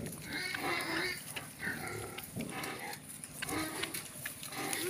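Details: Native free-range pigs, a busy, noisy jumble of rough grunts and short squeals overlapping throughout, with a man talking now and then in the background.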